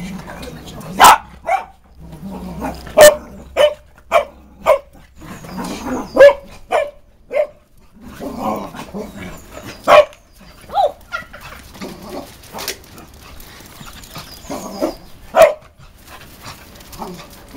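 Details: Cavalier King Charles Spaniels at play give short sharp barks, single or in quick pairs, spaced irregularly across the stretch, with softer grumbling whines and a human voice between them.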